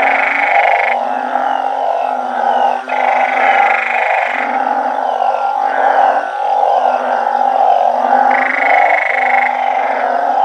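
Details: Backyard garden chorus at night: banded bullfrogs with balloon frogs, fed on termites and earthworms from an organic garden. Rhythmic low moaning croaks stack densely, punctuated by several longer buzzy, brighter calls.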